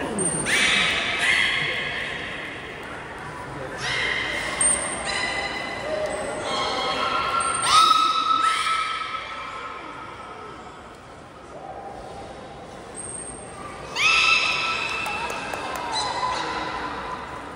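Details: Captive belugas at Port of Nagoya Public Aquarium during a training session with every animal taking part, 16 November 2024; bursts of buzzy, harmonic squeals and nasal calls, a brief high thin whistle tone recurring, echoing hall.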